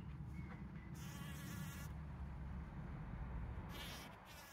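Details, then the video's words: Bees foraging for pollen, trail camera, 17 June 2023: a strong, low droning buzz fills the whole stretch, with two brief rustling hiss bursts and a faint bird trill at the beginning. "Bees Collecting Pollen"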